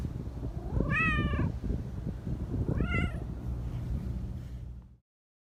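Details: Black Persian cat giving two drawn-out, rising-then-falling meows about two seconds apart over a steady low rumbling purr, in a purring-meowing style.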